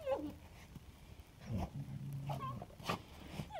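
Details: Samoyed dogs recorded on 16 October 2022: short high whines that slide downward, a low rumbling growl lasting about a second in the middle, then more brief whimpers.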